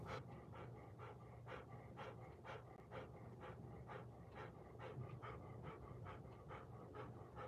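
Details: Golden Retriever picked up by a home surveillance camera, panting in steady breathy bursts, roughly two to three per second across the stretch, over a constant low electrical hum.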